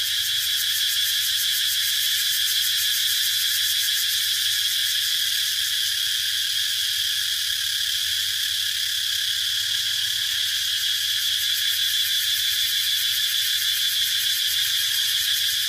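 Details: Unbroken high-pitched cicada drone, dense and buzzy with a fast pulsing shimmer, holding an even loudness throughout over soft low-frequency hum.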